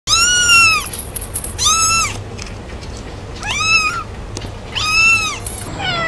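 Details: Cats meowing: four or five clear arched, downward-bending meows, each under a second, spaced about a second apart, with a faint high tone and light background hiss between calls.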